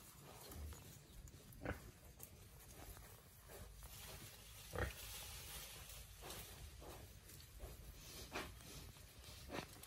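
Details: Young wild boar released into the wild and foraging by instinct, giving a few short, low, rough grunts spaced several seconds apart over steady rustling and snuffling in the undergrowth.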